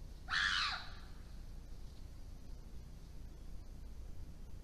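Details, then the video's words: Chimpanzees in the wild at Tanzania's Issa Valley confront wild dogs with one loud, harsh, half-second scream, followed by near silence and low background rustle. "Chimpanzees intimidate wild dogs in the Issa Valley, Tanzania"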